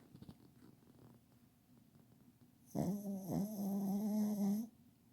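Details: Pet dog sleeping under a kotatsu and snoring heavily indoors: soft breathing, then one long, rough, droning snore of nearly two seconds that wavers slightly before stopping.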